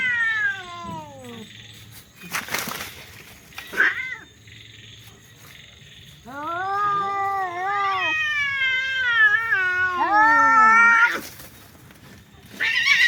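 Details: Domestic cats fighting with very loud, odd cries: a descending wail, scuffling thumps and hisses, then a long rising-and-falling yowl over several seconds, ending with more noisy scuffle bursts.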